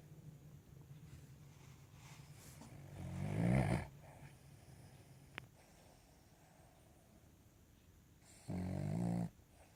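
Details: A Cavalier King Charles Spaniel snoring while asleep on a lap indoors. Two low, rasping snores about five seconds apart, the first swelling slowly, the second shorter and flat, with quiet breathing between and a faint click in the gap.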